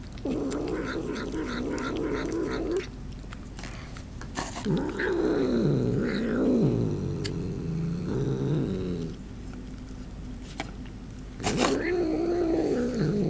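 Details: Cat eating its food while uttering funny noises: long stretches of low, grumbling, warbling growls that rise and dip in pitch, broken by pauses filled with chewing and crisp clicks.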